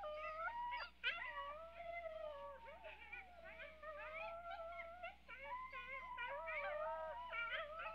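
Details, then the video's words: Coyotes in a yipping, howling chorus: several wavering, sliding voices overlap continuously, some rising and falling in pitch, with short sharp yips scattered throughout. "Som de Coiote uivando"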